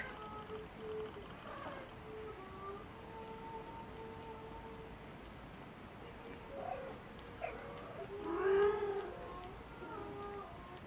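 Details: Maine Coon at a single-breed cattery in Saint Petersburg, Russia, giving one loud, drawn-out, rising-then-falling meow partway through, with faint earlier calls and steady quiet tones in a hushed indoor background.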